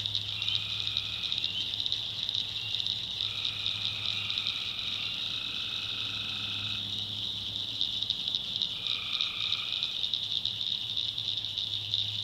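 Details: Tree frogs calling at night in a swamp in the backwoods of North Carolina: a dense, high, pulsing trill chorus runs throughout, broken by about five drawn-out, lower, steady tones of one to three seconds each, over a faint low hum.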